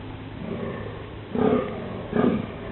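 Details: Male deer calling in the dunes during the mating season, October 11: two short, hoarse, low groaning calls about a second apart rise out of a quiet background hiss.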